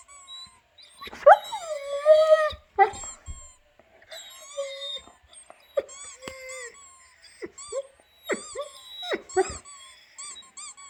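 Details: Albert the dog reacting to squeaking sounds indoors: high, sliding whines and yips rise and fall in uneven bursts, mixed with short chirping squeaks and a little background music.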